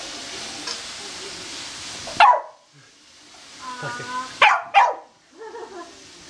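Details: Corgi excitedly playing with a laser, giving a few sharp, loud barks separated by quiet pauses, with a short whining, voice-like sound between them in a quiet room.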